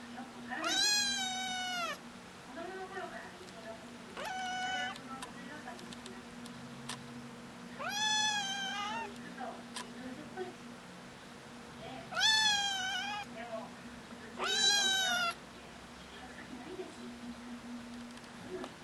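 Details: Kittens meowing to get their owners' attention: five loud, drawn-out harmonic mews spaced a few seconds apart, each rising then falling slightly, over a steady low indoor hum.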